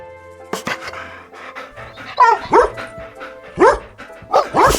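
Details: Domestic dog barking in short, sharp bursts, roughly five barks in loose pairs over the second half, set against steady background music with a single spoken word at the start.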